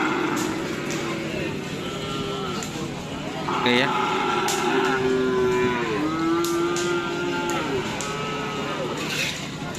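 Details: Cattle at a karapan sapi bull race on Sapudi Island; a drawn-out, wavering low moo runs through the middle, with a second shorter moo near the end, over crowd chatter, speech and vehicle noise.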